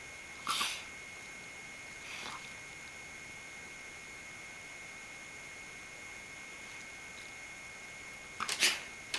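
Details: Genki, a pure white Akita indoors, teased by his owner just after eating while settling to sleep, tries to bark 'stop!' in anger but sneezes instead: three short explosive bursts, sharp at the start, softer midway, a double burst at the end, over a steady faint electronic whine.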